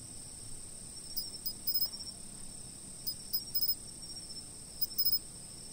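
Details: Chirping insects recorded on a fixed-position camera: a constant thin high ringing underlies small groups of rapid clicking chirps that return about every one and a half seconds.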